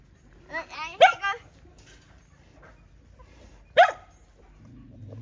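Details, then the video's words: Mother dog fighting to protect her puppies: two sharp, harmonic yelping barks about three seconds apart, the first a quick double burst, over faint background rumble. "Poor Dog Fighting Protect Babies"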